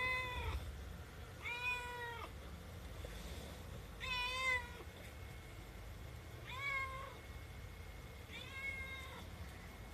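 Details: A 7-month-old female Himalayan cat meows repeatedly with drawn-out, slightly falling cries, making a fuss because she wants her food quickly; her voice is fairly quiet and a child's voice is also heard.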